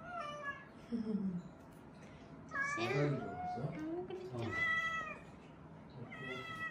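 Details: Weak rescued kittens, found huddled together and relying on each other, give high, wavering meows in short bursts spaced a second or two apart, some rising then falling, with faint lower murmuring sounds and indoor room noise between calls.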